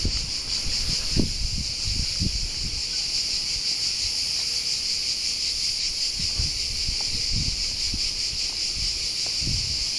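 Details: Cicadas calling at Alberese, Italy: a continuous high-pitched sizzling drone, fairly even in loudness, over scattered soft low knocks and rustles.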